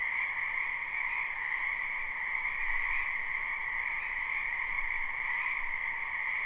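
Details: Numerous frogs croaking together in a wetland in spring, live recording: a constant two-toned trilling wall of sound, even in volume, with a soft low hum underneath.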